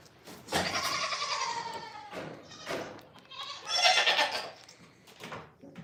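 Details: Goat on a farm giving a long, wavering, harmonic bleat lasting about a second and a half, then a short pause and a brighter, shorter second bleat, with faint farmyard background noise.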